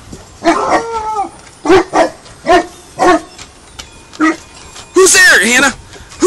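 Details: Hannah the dog, learning to guard, barks amid a person's repeated "Who's there, Hannah?" prompting. A loud, high, bending yip-bark bursts out near the end.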